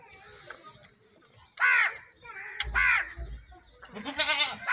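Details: Goat at milking time giving three loud, harsh, tremulous bleats, each under a second long, separated by short pauses, with faint voices and low handling noises in the background.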